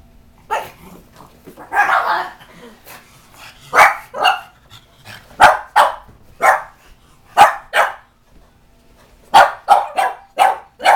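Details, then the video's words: Reverse brindle Bugg puppy, a Boston Terrier and Pug mix, barking indoors at a cat statue it dislikes; short sharp barks in irregular bursts, some doubled, with a few softer yips between and a second pug present. "my Bugg puppy (Boston Terrier/Pug mix) REALLY does not like this Cat statue!"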